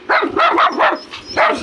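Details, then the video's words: Poodles bullying a sheepdog give a run of short, high, yapping barks in quick bursts, with brief pauses between them and people talking nearby. "Poodles Are Bullying my Sheepdog!!"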